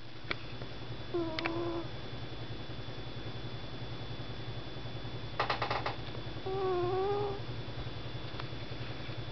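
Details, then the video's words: Sleeping house cat snoring on a desk indoors, a constant low droning rumble under two brief whistling tones, the second slightly wavering and rising, plus a cluster of small taps in between. "Snoring Kitty"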